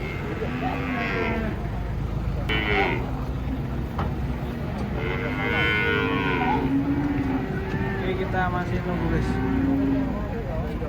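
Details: Huge cattle unloaded from a truck, lowing repeatedly: a series of low, drawn-out harmonic moos, some rising then falling, mixed with people talking and vehicle noise.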